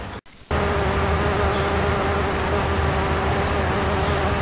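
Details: Bumblebee of the species Bombus ignitus at satsuki azalea blossoms in May 2012, feeding on nectar; after a brief dropout, a continuous steady hum with layered overtones holds at an even loudness.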